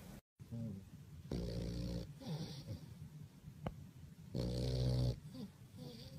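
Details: Bulldog asleep and snoring at My Second Home, Dubai, in October 2015, part of a snoring competition: two loud rattling inhalations about three seconds apart, with softer wheezy exhales between.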